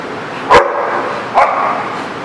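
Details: Dog recorded on 25 August 2017, giving two short, sharp barks about a second apart over a steady background hum.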